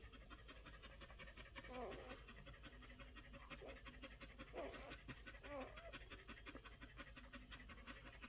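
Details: Week-old Collie pups pant in soft, rapid breaths, a continuous huffing texture broken by a few brief squeaky whimpers and overlaid by nearby human speech.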